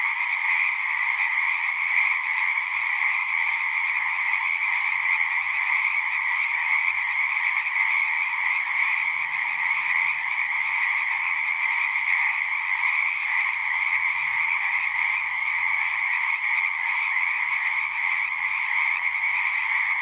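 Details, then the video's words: Frog chorus from a pond within a horse pasture, Zoom recording: continuous high trilling from many callers, steady throughout, with faint low rumbles underneath. "Frogs singing"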